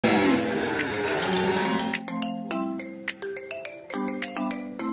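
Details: Bright mallet-like music with ringing, repeated chime notes plays throughout, and no animal sound can be heard.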